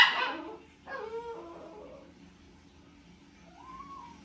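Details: Poodle named Pepper, frantic at the sight of someone eating, lets out one sharp bark, then drawn-out falling whimpers, a pause, and a final arched, rising-then-falling whine.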